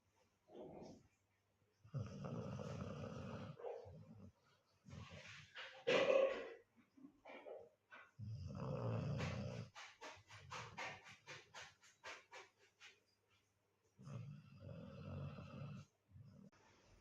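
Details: Golden Retriever. A Golden Retriever puppy snores through sleep, each breath a low, rough, rattling rumble lasting a second or two. The snores come unevenly, separated by brief quiet gaps, and sound much like a person snoring.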